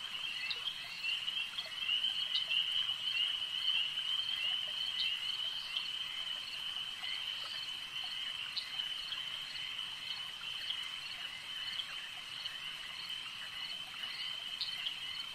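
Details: Lake frogs in full chorus: a continuous high trill, loudest in the first few seconds, with sharp clicky notes breaking through irregularly, roughly twice a second, over a quiet background.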